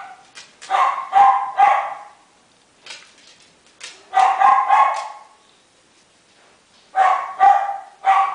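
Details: Salt-and-pepper male Miniature Schnauzer pup, four weeks old, from a Shizuoka breeder: bursts of high-pitched yips in clusters of two or three, separated by short quiet gaps, with faint scratching sounds between.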